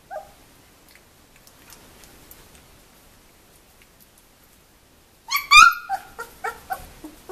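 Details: Two-week-old puppies from one litter, indoors: near silence, then a burst of high, squeaky whines and yelps rising and falling in quick succession near the end.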